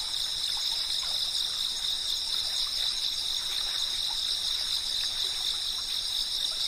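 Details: Continuous high-pitched insect chirping from cicadas, layered shrill tones holding steady throughout, over the constant wash and light splashes of running water.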